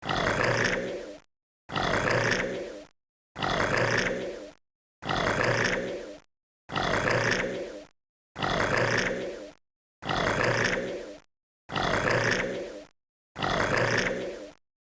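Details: Crocodile sounds as nine identical raspy, hissing growls in a steady rhythm, each about a second and a quarter, separated by short clean pauses.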